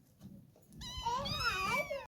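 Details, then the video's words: A kitten gives one loud, wavering meow lasting about a second. It rises, then bends down and up again, with a quieter soft sound just before it. "Kittens Meowing"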